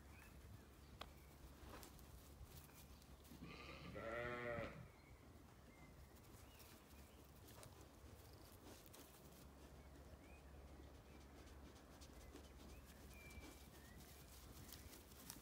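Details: Ewes and lambs grazing an orchard on a sunny Irish farm in County Kilkenny; a single mid-strength wavering bleat rises out of steady low hum, with scattered thin bird chirps throughout.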